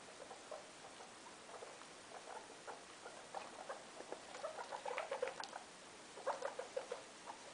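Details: Indoor guinea pig mother Loeki with her three young: soft clipped chuts at first, building into a denser run of louder, slightly higher pulses, then a brief pause and another short cluster.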